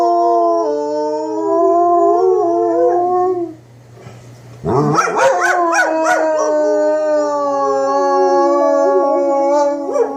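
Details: Pair of German Shepherds join in with the weekly tornado test sirens, long drawn-out howls sliding slowly, a brief pause, then a burst of sharp yelps and wavering overlapping howls that settle into a long sustained tone.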